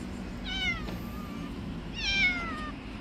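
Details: Two clear meows from a male cat biting a finger because his food came late. Each starts high and slides down into a long, tapering, nasal wail, about a second and a half apart, over low background hum.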